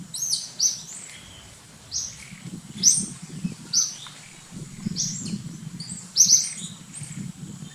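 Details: A baby monkey gives loud, thin, high-pitched squeaky chirps, repeated roughly once a second, as another monkey takes it over from its mother.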